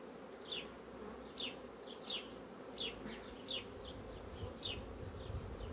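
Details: Continuous droning buzz of honey bee colonies rapidly building comb on foundation, overlaid by sharp high bird chirps about once or twice a second.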